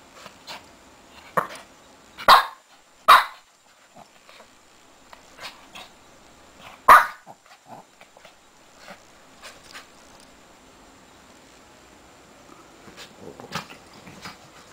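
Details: Shih Tzu puppy digging in bed: scattered soft snuffles and rustling, broken by a few sharp barks near the start and one in the middle, then quieter shuffling and faint yips.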